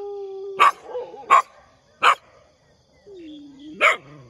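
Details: A dog barks in the morning, four sharp separate barks with gaps between them, and a low whining tone in between.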